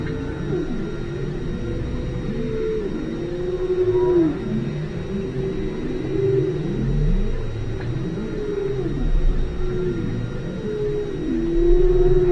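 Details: Underwater whale chorus from station ALOHA, 5 km down, with repeated low arching moans. Each rises briefly and then falls, every couple of seconds, and many callers overlap over a constant low rumble.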